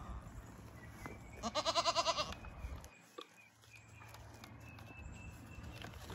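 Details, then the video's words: Baby LaMancha milking goats on a homestead on raw land, calling in the morning: a short series of quavering, pulsing bleats lasting about a second, over faint background hiss. "Morning boops from the baby goats"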